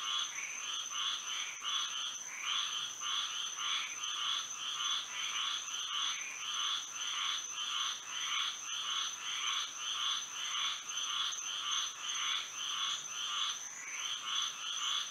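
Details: Night chorus of frogs in Florida under moonlight, a dense run of short pulsed croaks repeating almost twice a second, several callers overlapping, backed by a constant thin high drone.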